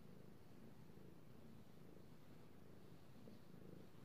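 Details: Domestic cat purring steadily while being petted indoors, recorded 3/16/18; a continuous low rumbling purr with a soft pulsing texture and faint hiss, no other sounds.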